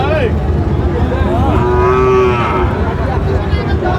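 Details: At a Sylhet cattle market in Bangladesh, 26 September 2025, a Sahiwal bull calf gives one sustained, steady moo lasting about a second, preceded by a short higher bleat, with market noise and low rumble throughout.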